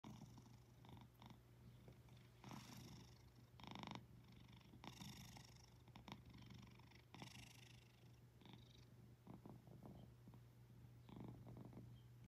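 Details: A napping cat purrs in a steady, low, continuous rumble through the whole recording, with soft rustling bursts now and then in a quiet indoor setting.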